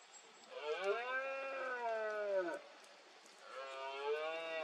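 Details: Red deer stag roaring during the rut (berrea) in Cantabria, 2022, amid mist: two long, drawn-out bellows with rich harmonics, the first about two seconds, the second starting near the end.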